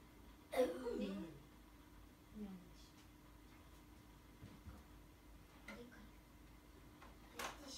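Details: Kitten stroked on the forehead gives a soft, small-voiced meow: one drawn-out mew falling in pitch near the start, then faint, brief murmurs and light rustling in a quiet indoor room.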